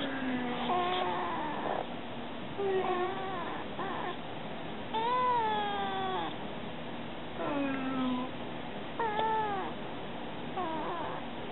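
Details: Stray kitten talking to people: a run of about eight clear, drawn-out meows, some bending upward and others sliding down, spaced a second or two apart against a low steady background hum.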